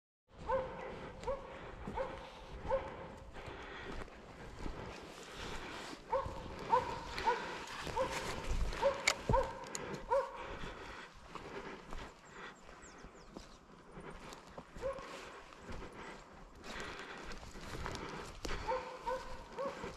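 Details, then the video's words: Slovakian hound named Arrow baying in place at wild boar during a driven hunt with dogs in Sweden, November 2022; repeated barks with a steady tonal core, irregular, roughly seventy per minute, over rustling and footsteps in the forest. "Slovački kopov - držanje u mesto"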